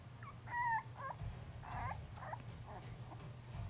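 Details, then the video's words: Basenji puppies at three and a half weeks old give short high whimpers and squeaky yips, one clear rising-falling whine near the start, then several softer broken squeals over a steady low hum. "Basenji Puppies 3 1/2 weeks"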